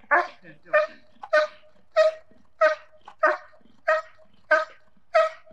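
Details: German Shepherd in protection training barking steadily, about nine loud, harsh barks at an even rhythm of roughly one every 0.6 seconds, with fainter grunting sounds between them.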